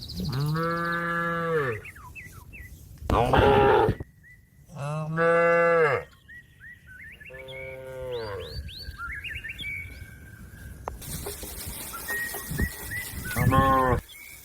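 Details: A cow summoning its grass-grazing companion to go home to the barn gives a run of deep, drawn-out moos, one every few seconds, amid chirping birds and brief rustling noises.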